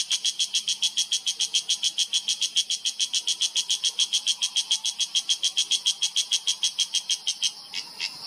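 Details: A cicada in a Himalayan oak forest in Uttarakhand, India, in September 2023, gives a loud, high rasping call that reverberates through the mountains, pulsed steadily about three or four times a second.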